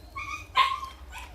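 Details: Jindo dog indoors, separated from the other dogs during a housemate's recovery and crying to go out: a steady high whine, then a short sharp yip-bark breaking into a fading whine, with faint talking.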